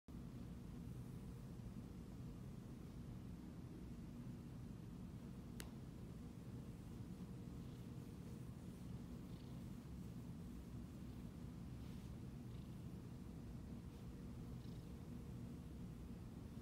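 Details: A Siamese cat purring steadily while being petted indoors: a continuous low rumbling drone with a fine pulsing texture, unbroken throughout, with a single faint click partway through and soft rustling from the petting.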